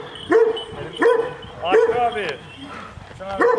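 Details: Aggressive Kangal dogs barking at each other: loud, rough barks that rise and then fall, about four spaced under a second apart, with a man's Turkish voice in the background.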